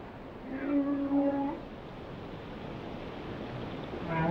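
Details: Whale song: a few faint, level tonal moans with overtones near the start, fading into a steady wash of ocean noise.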